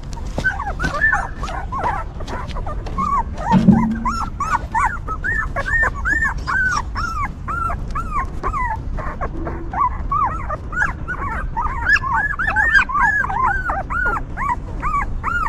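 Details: Newborn puppies with their stray mother, cleaned and comforted by her, making repeated arched whining squeaks, clustered then spaced about twice a second, alongside faint music and low background noise.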